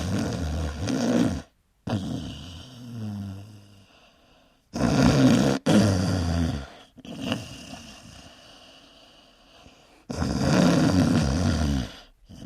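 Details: Sleeping dog snoring loudly, described as sounding like a human: deep, rasping, low-pitched snores in long bursts roughly every five seconds, with quieter breathy stretches between and a few abrupt cuts.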